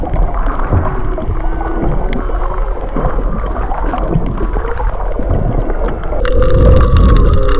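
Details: Humpback whales off Maui in February 2023, recorded underwater among fish sounds: overlapping low moans and thin tonal whistles under constant crackling and gurgling, with a louder burst of rising and falling tones near the end.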